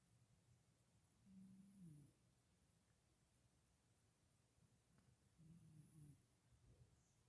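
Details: Sapphire, a sleeping cat, purring and snoring in the Head Hutt: two soft, low rumbling breaths about four seconds apart, each under a second long, in an otherwise quiet indoor room.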